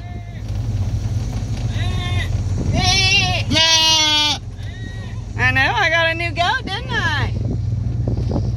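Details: Roseanne, a female fainting goat, grows loud on arriving down the drive at her new country home as she hears the other goats; several wavering, nasal bleats, two long and quavering, over vehicle rumble and people talking.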